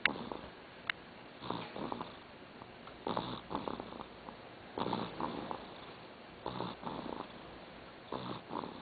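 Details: A dog asleep and snoring: raspy, noisy breaths come in regular pairs of inhale and exhale roughly every one and a half seconds, indoors with little else audible.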